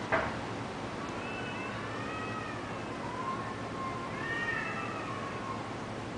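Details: Taiwanese cats in a catfight: long, drawn-out wavering yowls with stacked harmonics, one rising and falling howl followed by a second quavering one, over a steady background hum.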